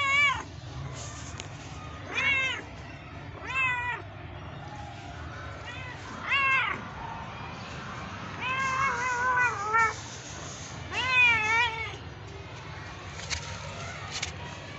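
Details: Cat meowing repeatedly, short harmonic rising-falling meows roughly every one to two seconds, some stacked and wavering, over a low steady background hum.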